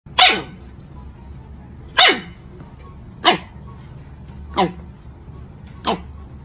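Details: Siberian Husky giving five sharp, yelping barks, each sliding steeply downward in pitch, spaced roughly one to one and a half seconds apart over a low steady background hum.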